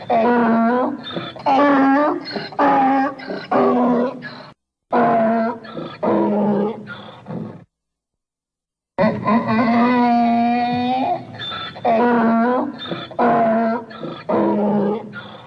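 A donkey brays in a loud, harsh run of alternating hee-haw notes, each about a second long.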